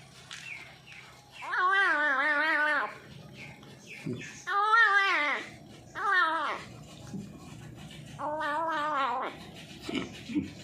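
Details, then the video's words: Newly adopted feral cat making weird noises while eating: drawn-out, wavering moaning calls of about a second each, repeated four times with short gaps, plus faint rustling in a small room. "my new feral cat pet making weird noise while eating"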